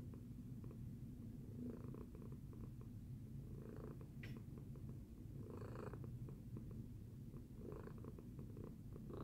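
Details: After breakfast, a pet cat purrs continuously, a deep even vibration underneath, with breath-linked surges roughly every one to two seconds and a brief faint click near the middle.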